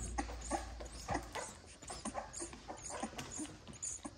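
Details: Bottle-fed XL American Bully puppies, part of a litter of ten helped along beside their mother. Short soft smacking suckles come about every third of a second, with faint squeaky whimpering in between.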